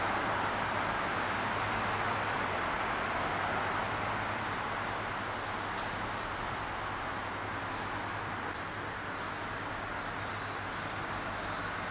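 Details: Steady broadband hiss like rain, with a low vehicle rumble throughout and no animal calls.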